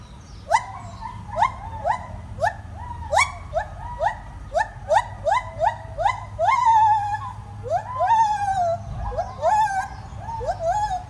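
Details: A white-handed gibbon at Tokiwa Zoo in Yamaguchi, Japan, gives clear, rising hoots that quicken and stretch into long swooping wails.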